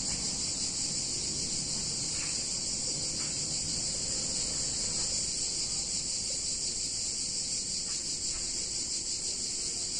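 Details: A hot summer day in an Italian town, filled with a continuous shrill cicada chorus: an unbroken high buzz with a slight rapid pulse and a few faint soft knocks.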